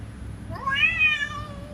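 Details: Cat threatening another cat: one loud, nasal, rising-and-falling yowl lasting about a second, then a faint low tone trailing on, over low rumbling background.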